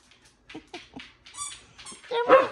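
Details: Pet dogs at home interrupting TV time; soft low grunts at first, then a high squeaky whine and a louder harsh bark-like yelp at the end, indoors.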